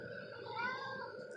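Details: A brief, thin meow from a cat slides upward in pitch, heard against low hum and murmured speech nearby.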